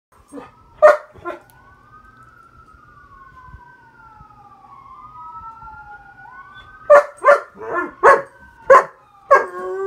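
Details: Weimaraner. A Weimaraner gives a few sharp yips, then a long siren wails up and down in the background. The dog joins in with a series of strained, harmonic howling yelps that answer the siren.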